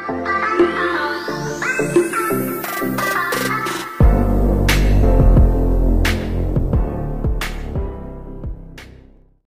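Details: Loud electronic music with synth notes, a rising sweep and a heavy drum beat throughout, no animal sound.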